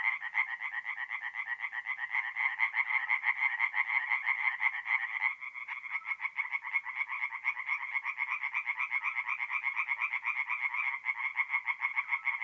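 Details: Night chorus of singing tree frogs, forest pond in north-east Italy, mid-April: many rasping pulsed calls overlap, briefly thinning near the middle before the dense rattling resumes.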